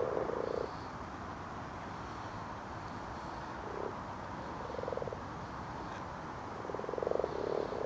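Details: Common frogs spawning at night in a torch-lit garden pond: soft purring croaks, each a rapid burst of pulses under a second long, several frogs calling and overlapping over a steady background hiss.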